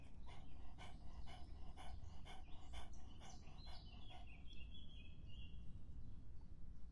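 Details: In summer heat a dog drinks with a steady rhythm of sharp wet laps, roughly three each second, over a low background rumble. A brief thin whistling sound is heard partway through.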